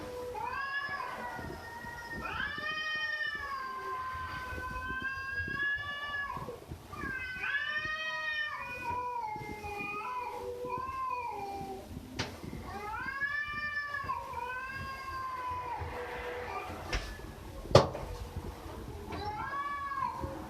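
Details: Domestic cat meowing repeatedly, a long series of arched, harmonic-rich meows that rise and fall, several per few seconds, with a sharp click near the end over faint background noise.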